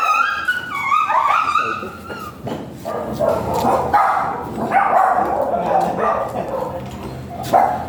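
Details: Golden Retriever at a stud service in Binalonan, Pangasinan: high whining yips sliding at the start, then a run of short, rough barks, with music and human voices underneath.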